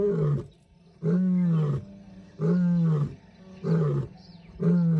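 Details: Lion in Timbavati Private Nature Reserve, South Africa, in January 2025, giving a series of deep, moaning grunts about a second apart, each a low throaty bellow falling slightly at the end, in otherwise quiet surroundings.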